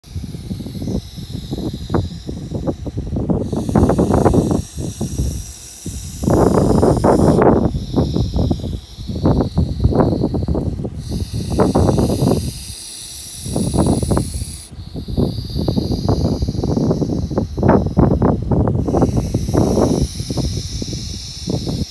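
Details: Bullsnake (Pituophis catenifer) in Barber County, Kansas, giving rough, rasping, low hiss bursts of about two seconds each, separated by brief pauses, with faint steady high-pitched tones running in the background.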